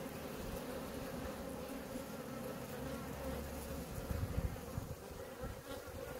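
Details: Honey bees at a hive in Maine-et-Loire, France; a dense, steady droning hum of many bees with a low rumble underneath and a slightly louder stretch after four seconds.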